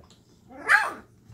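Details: Llewellin Setter puppy at 2.5 weeks old, one of a litter stirred up by their mother in the whelping box one evening; a single short yip rising then falling, with low hum underneath.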